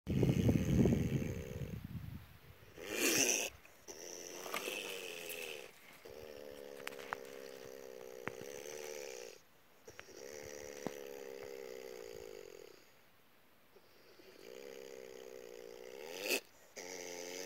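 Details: A black-eared opossum (Didelphis aurita, Brazil) gives rough, droning, snore-like calls in long bouts separated by short pauses; big-eared opossum.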